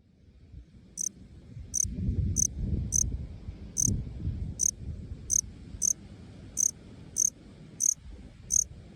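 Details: Male Melanogryllus bilineatus, a small black-faced cricket of Okinawa that calls from short lawn grass in open park fields, even by day. It gives about twelve short, high, bright chirps, one roughly every two-thirds of a second, over a low rumbling background.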